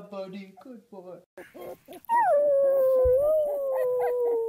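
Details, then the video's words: Puppy starts with a few short yips, then breaks into one long sustained howl that wavers slightly and sinks slowly in pitch, with soft rhythmic pulses underneath. "CUTE PUPPIES HOWLING"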